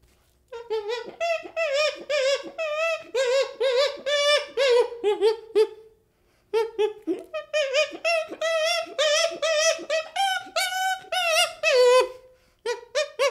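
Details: Young chimpanzee calling in a quick series of harmonic hoo-like whimpers, about two per second, rising and falling slightly in pitch, in two long bouts separated by a short pause, indoors.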